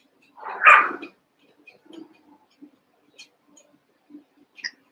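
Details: Cavalier King Charles Spaniel puppies, Daisy's six litter merged with Robin's two remaining pups, playing together indoors: one short, loud, breathy yelp early on, then faint scattered squeaks, scuffles and soft taps in a quiet room.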